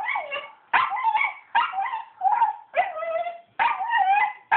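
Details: Pet dog eager to go swimming with other dogs at a fundraiser, 'talking' in drawn-out, whiny, howl-like yowls that rise and fall in pitch, about six separate bursts separated by short pauses.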